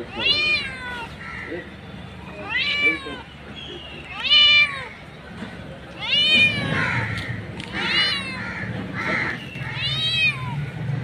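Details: Mother cat outdoors calling for kittens: repeated long, wavering meows about every two seconds, strong harmonics bending up then down, with rustling and low noise underneath.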